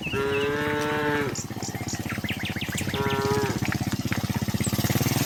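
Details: Cattle on their way down a hill to the pen, two moos, one long and one shorter, over a steady rapid pulsing rumble, with light chirps between.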